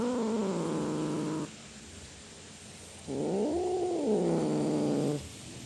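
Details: Domestic cat meowing in drawn, whining calls: a sustained level wail, a pause, then a rising-and-falling yowl held for about two seconds over a faint steady hum.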